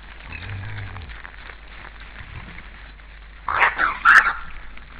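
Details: Wild boar recorded by a forest camera in Estonia on 15 January 2013 at 17:01, running around in chaos: a quick run of harsh, high squeals after a stretch of low rumbling.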